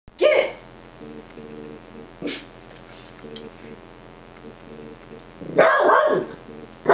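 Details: Dachshund barking at himself: a sharp single bark at the start, a softer bark near two seconds, then a loud, harsh double bark late in the clip, with a faint steady hum between.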